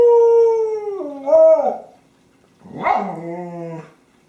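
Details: Honey, a pet dog with her favorite squeaky toy, recorded 24 January 2012, gives two sustained tonal howls, the first steady then sliding downward, the second rising sharply before settling into a falling wail.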